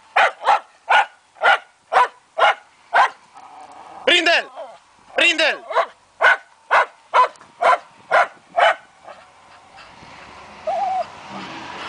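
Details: Fox terrier during a wild boar hunt giving a rapid series of sharp barks about two per second, broken midway by a few strained, whining yelps, then fading into rustling background noise.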